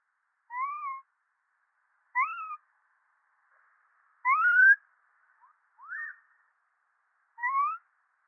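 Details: Monkey calls: five tonal, whistle-like notes, each rising then falling and lasting under half a second, repeated roughly every one and a half seconds over a faint hiss, with one stronger, longer note in the middle.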